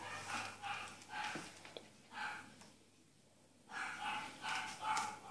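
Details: Bichon Frise named Daphne, recorded 05.07.2016 during an obedience and trick session with spoken Russian commands; short high yapping barks come in clusters with a quiet pause midway, mixed with the handler's voice.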